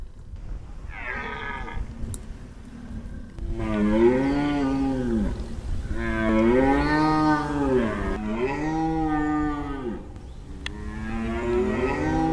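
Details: A Corsican red deer stag roars during a rut census, heard at 20:05 on bearing 280 degrees, distance class 2: a series of deep, drawn-out roars, each swelling and then fading.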